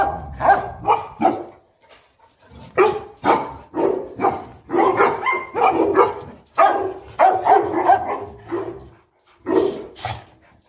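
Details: Boerboel dogs, a male and female pair named Enzo and Diva living in Egypt, barking while playing together: repeated deep, broad barks in quick bursts, some rough and growly, with brief pauses between volleys.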